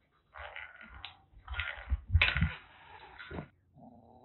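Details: Rescued kitten, trapped from grassland during TNR work in Kagoshima, Japan, threatening indoors: rough, breathy broadband hissing bursts, three sharp spitting puffs with low growly undertones, then a short quieter rasp.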